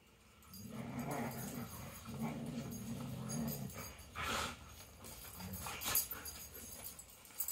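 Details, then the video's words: Dogs playing before bedtime indoors, giving low, rumbling playful growls in drawn-out bursts over several seconds, followed by a few sharper, brief noises and scuffling. "Dogs playing before bedtime!"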